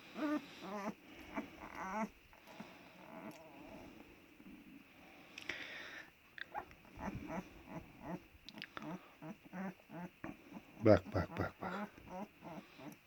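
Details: Kangal pups with black heads, village setting in Turkey, jostling before dozing off; short, repeated squeaky whimpers and grumbles come in scattered bursts, one sharp yelp late, over quiet room noise.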